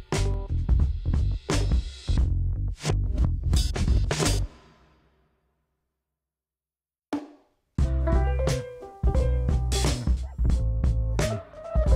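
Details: Loud drum-kit music with heavy bass and snare beats stops for about three seconds of silence, then resumes. No animal sounds are heard.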